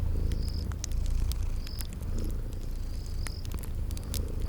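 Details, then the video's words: Sleeping kitties purring by a crackling fireplace in a spring garden ambience: a steady low rumbling purr fills the background, with sharp fire crackles and pops and short high insect chirps repeating every second or so. "Relax with Cute Sleeping Purring Kitties by a Crackling Fireplace"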